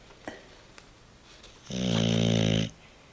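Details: Dog snoring indoors: one loud, buzzing, rasping snore lasting about a second, with faint clicks and quiet room noise before and after.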